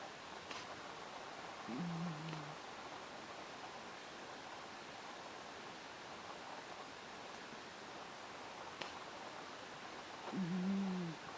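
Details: Sleeping house cat Myu snoring, the one cat of three in the home that snores often; two low, drawn-out rasping breaths, near two and ten seconds apart, over a steady quiet hiss.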